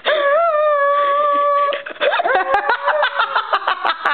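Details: A singing Bichon Frise holds a steady, even howl for nearly two seconds, then breaks into a quick stutter of short yipping notes that rise and fall.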